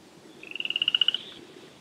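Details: Wild chorus frog calling on a spring evening in mid May around 9 pm near Slough Creek: one rapid pulsed trill of about a dozen clicks, swelling then fading within under a second, over a quiet night background.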